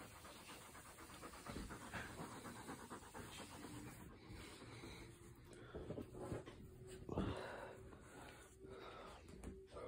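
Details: An English springer spaniel pants fast and steadily while playing, in breathy, rhythmic breaths broken by a few short, soft throaty sounds, with faint human voices now and then.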